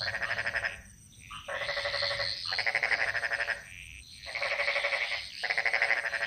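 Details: Bali jungle frogs singing their chorus: buzzy, finely pulsed croaks about a second long, repeating in near-regular bouts with brief quiet pauses between them.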